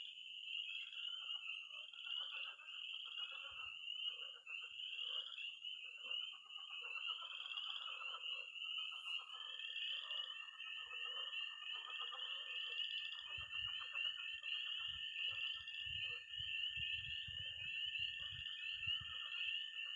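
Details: Frogs and toads calling by a Missouri pond at night in early spring; an unbroken shrill peeping chorus, lower croaking bursts, and a second steady trill entering partway, with some low rumbling near the end.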